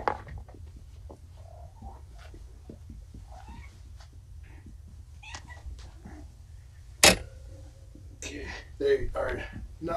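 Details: Four domestic kittens, Vixen, Dancer, Donner and Prancer, once found abandoned in a roadside box, are groggy on pain medication just after neutering. A few short, bright meows come near the end, with a sharp knock and a person talking throughout.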